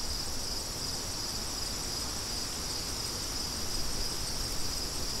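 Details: A shimmering high cricket trill runs continuously with a faintly pulsing texture, set over a soft, even bed of wind noise.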